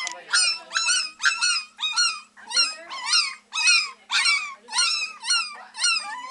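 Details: Beagle puppies only three weeks old, several together at a Maryland shelter, baying away in rapid, rising-then-falling yelping howls repeated about twice a second, with quiet human voices in the room.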